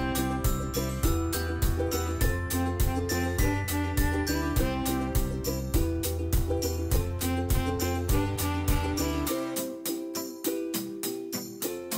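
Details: Bright, tinkling children's-style music with bell-like notes over a steady beat, thinning out near the end; no animal is heard.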